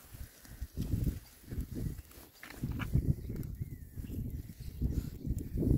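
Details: Six male rare-breed Oxford Sandy and Black pigs foraging outdoors in winter between storms; low, rough grunts come in quick bursts of several per second, rising and falling in loudness throughout.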